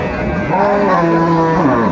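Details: Cow with calves at the Aftabganj cattle market in Dinajpur on 25 August 2024 gives a single long, steady, low moo lasting about a second, over a constant background hum of the crowded market.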